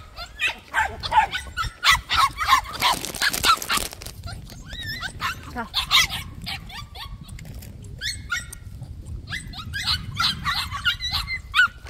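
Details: White puppies at a plum orchard let out bouts of high, rising yips and whimpers, while a person speaks to them in Korean and brief rustling noise passes.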